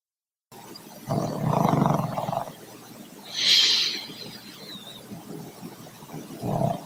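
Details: A dog named Troy snores loudly in a gravelly rumble, then briefly quiets. A short high squeak sounds in the middle, and another snore starts at the end.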